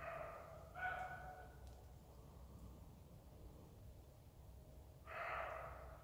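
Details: Roe deer barking: two loud, hoarse, rasping barks about four seconds apart, each lasting under a second, over a steady low rumble.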